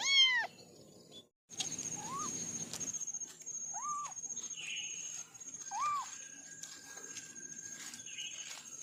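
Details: Kitten from a family of four giving one loud meow, then three softer, short arched mews spaced about two seconds apart over a steady high hum and faint background noise.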